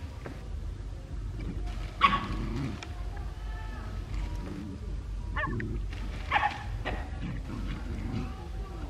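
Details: Several dogs playing together near home in Cambodia, giving short, sharp barks: a loud bark near two seconds, then scattered yips and barks with whiny, tonal edges, over low background noise.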